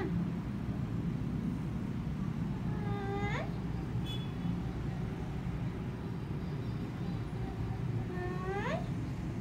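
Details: Kittens give two rising, high-pitched meows about five seconds apart over a steady low rumble of traffic or engine noise.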